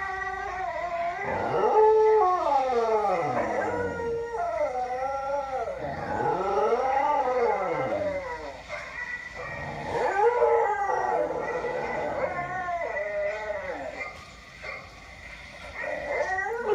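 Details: Domestic dog howling along with a recording of his own earlier howling at another dog: repeated rising-then-falling drawn-out howls, layered with the replayed howls, brief quieter gap near the end.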